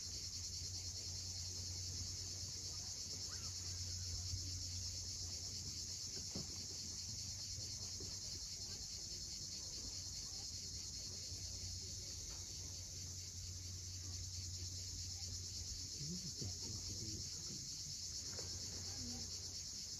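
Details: Constant high droning of cicadas at sunset on the steep Crimean shore near Cape Fiolent, unchanging for the whole stretch, with surf rumbling low and a couple of faint clicks and chirps.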